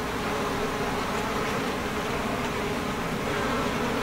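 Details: Dense, even drone of a Japanese honey bee colony inside its hive box during an inspection, 50 days after the swarm moved in on 3 May; a continuous low hum with no breaks.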